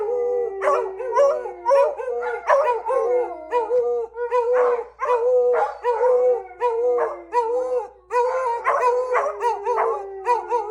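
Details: Beagles singing in chorus with a lab, dense overlapping howls: sustained mid-pitched tones broken by bursts of sharp yelping bays, several voices at once, with barely any gaps.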